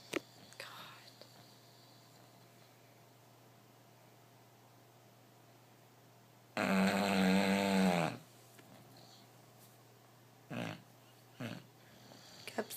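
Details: A bulldog asleep gives one loud, throaty snore lasting about a second and a half, with a buzzing, slightly tonal rattle, amid an otherwise quiet room with a few faint soft rustles.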